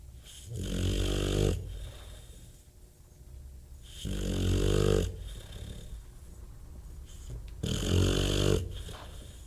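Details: Bulldog snoring heavily: deep, rattling, rumbling snores on each breath, repeating about every three and a half seconds with breathy pauses between, three snores in all.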